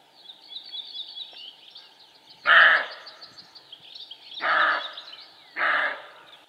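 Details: Roe buck giving three rough, coarse barks at uneven intervals of one to two seconds, with quiet chirping birds in the background.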